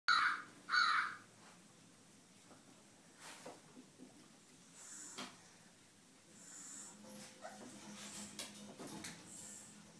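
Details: A black Miniature Schnauzer gives two quick, sharp barks at the very start, followed by quiet indoor room sounds with a few soft clicks and rustles.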